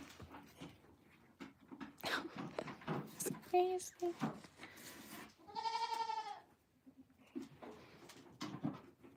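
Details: Farm goat bleating once, a strong quavering cry lasting about a second, set among people talking, thumps and short rustling noises.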